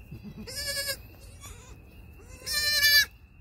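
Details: Baby goats six hours old, triplets born 1/6/2021, taking first steps and bleating; two clear, nasal, slightly quavering bleats about two seconds apart, the second louder, with a faint softer cry between them.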